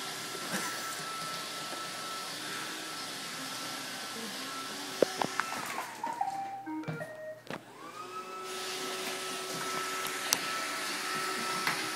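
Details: A robot vacuum's steady whirring hum and motor whine, with scattered clicks and bumps but no animal voice. The machine's tone dips and shifts briefly midway before settling back into its even drone.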